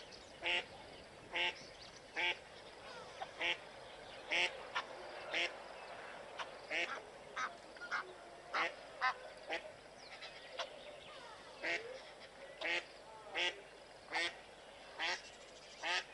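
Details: Herd of blue wildebeest fleeing a male lion in a stampede, giving repeated brief nasal grunting honks about once a second, overlapping callers, with a faint rustling background.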